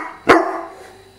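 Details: A nearly fully grown English Mastiff gives one sharp, short bark with a sudden loud onset and a ringing tail that fades over about a second, in a quiet indoor setting.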